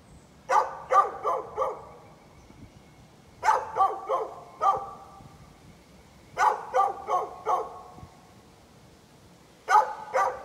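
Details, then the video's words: A neighbor's dog barking on 13 November 2020, in four bursts of three or four sharp, loud barks, each burst about three seconds apart, with quiet background between bursts. "Neighbor's barking dog"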